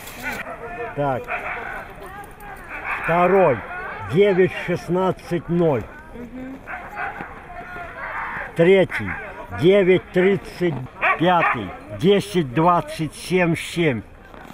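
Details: Siberian Husky in Nizhny Novgorod on 3 February 2017, the day of a competition, giving bursts of arching, rising-then-falling yowls and woo-woo sounds, several in quick succession, with pauses and some background noise between them.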